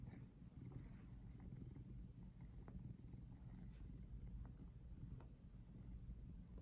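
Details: Close-up purring of a house cat curled in a very twisted position near the camera: a continuous deep, throbbing hum with a few faint clicks over the top.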